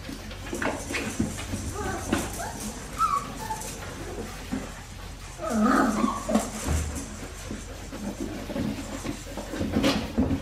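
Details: Australian Shepherd puppies from Winnie's litter, aged 4 weeks 5 days, on a baby cam: short high squeaky whimpers near the third second, then a louder burst of whining yelps around six seconds, over a steady low hum and soft rustling.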